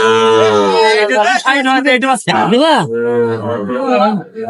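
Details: Sahiwal bull calf at a crowded cattle market, bought by a Dhaka farmer on 10 June 2025: a long, low, drawn-out moo with a falling tone opens, then a short arched bawl, overlapped throughout by men haggling loudly over prices.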